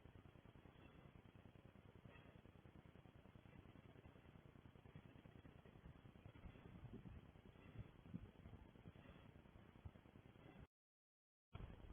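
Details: Quiet muffled rumble of wind or motor noise with a brief dropout near the end, and no seal or other animal calls heard.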